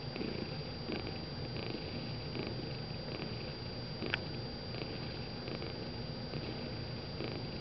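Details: A gray and white tabby cat purrs while napping, a steady low rumble that swells and eases with each breath; finding: cat.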